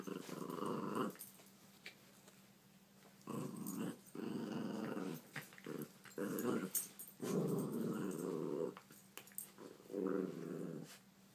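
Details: Puppies playing together, growling in long rumbling bouts of one to two seconds, repeated about five times with short pauses, over clicks and scrapes of play.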